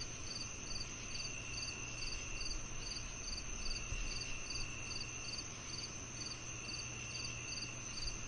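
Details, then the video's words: Cricket song of quick, high, pulsed chirps repeating about every 0.4 seconds, over a sustained high-pitched insect whine and a low humming background. "The Cricket Sounds"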